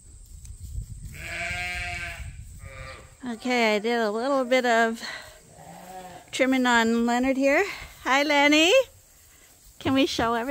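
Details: Ram, one of the farm's favourite rams Gladiator and Leonard at Ewetopia Farms, a registered Suffolk and Poll Dorset operation, bleats several times: loud, quavering, nasal calls of one to two seconds each, separated by short pauses, with human speech mixed in.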